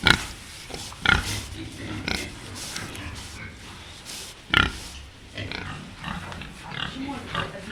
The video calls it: sounds of a domestic pig